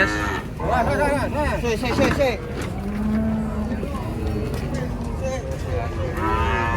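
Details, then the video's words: Cattle unloaded from a truck at a crowded cattle gathering in Indonesia; several overlapping moos, one long low steady moo in the middle, over constant crowd chatter and engine rumble. "KUMPULAN SAPI LUCU DARI TRUK PERTAMA KESINI RAME SEKALI"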